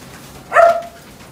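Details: Female red-and-white corgi born 11 September 2017 gives one short, sharp, mid-pitched bark that drops slightly at the end, against a quiet background.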